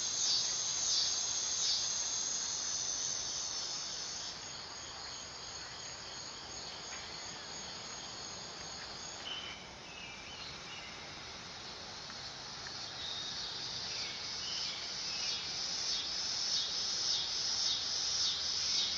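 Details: Dog-day cicada producing a high, dry buzzing drone. It starts loud, sags to a softer level through the middle, then swells again toward the end, with faint scratchy flecks over the continuous hiss.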